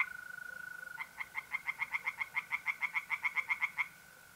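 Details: Tree frog singing at night in a pond in north-east Italy in mid-April. It gives a burst of about seventeen quick, evenly paced croaks lasting almost three seconds, over a constant high mole cricket trill that continues afterwards.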